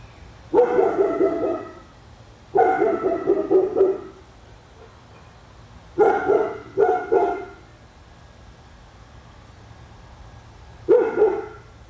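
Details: Persistent barking by a dog on Spruce Street in Royse City, Texas, said to go on for hours daily. Loud harsh barks arrive in irregular bursts of one to three over twelve seconds, separated by short pauses.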